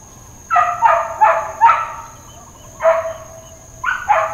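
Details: Uncontrolled neighbourhood dog barking in Hawaiian Paradise Park, Hawaii, on September 2, 2024 (Labor Day): four rapid rough barks in a row, a pause, one louder bark, then two more close together, loud and clear against a quiet background.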